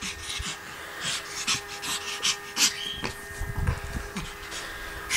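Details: Sophie, a Hungarian Griffon Bruxellois, at play: quick breathy panting bursts and snuffles follow one another steadily, with one short high squeak midway and a low thud or two beneath.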